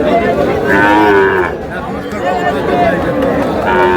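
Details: Young bull and heifer calves for sale at Aftabganj market, Dinajpur, Bangladesh, on a Saturday. A long, rich moo fills the first second and a half, and a second bellow begins near the end, with market voices murmuring throughout.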